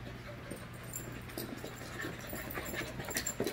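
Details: Five-month-old puppies playing together as a group, with soft panting and scuffling bursts running through the clip, brief higher yips near the end, and a steady low electrical hum underneath.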